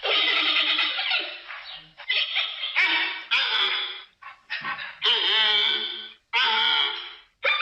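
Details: Giant panda producing a long series of squealing, bleating calls, some quavering and others choppy, separated by short gaps.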